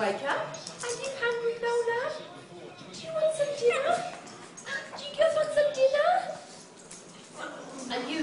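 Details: Pug in a funny home compilation whining in drawn-out, wavering whimpers that rise and fall, three main cries across about eight seconds, with people talking in the background.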